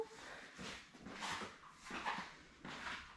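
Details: Newborn Labrador Retriever puppies, seven born May 24, 2021, indoors with their mother Belle on a puppy cam; noisy, squealing whimpers come in bursts, three or four within a few seconds, with quiet gaps between.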